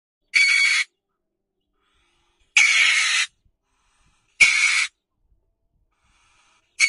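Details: A mink meeting a cat gives harsh, hissing screeches in short bursts, each about half a second long.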